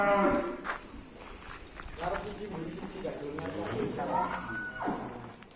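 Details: Angry, rampaging cattle at an Indonesian pen after a contest: a loud moo at the start, then murmured speech and a further fainter lowing call mid-clip.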